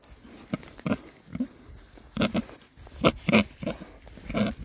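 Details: Oxford Sandy and Black pigs, a rare breed, six boys enjoying a winter forage between storms; repeated short, gruff oinks and grunts in quick bursts, several animals close by amid rooting noises.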